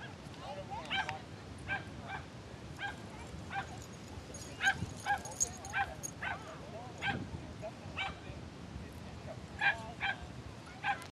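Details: Nervous Yorkshire terrier on its first visit to a small-dog park, not yet knowing the other dogs; a string of short, high yips and barks, irregular, sometimes in quick pairs, amid outdoor background noise.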